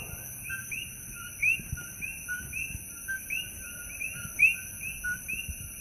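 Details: At night in Holualoa, on the Kona Coast of Hawaii's Big Island, a loud chorus of coqui frogs repeats sharp two-note 'co-qui' calls, the second note whistled and rising.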